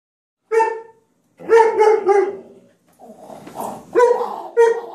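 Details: Yorkshire Terrier barking at a German Shorthaired dog that is scared of it: sharp, tonal barks, one at first, then a quick burst of three, a rougher stretch, and two final barks.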